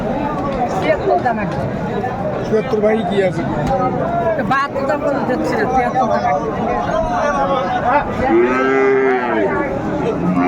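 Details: Amburi cattle market, Dinajpur, Bangladesh, 22 April 2024, with Friesian and cross-breed bull calves on sale; busy crowd chatter and talking dominate until a single drawn-out moo rises and fades near the end.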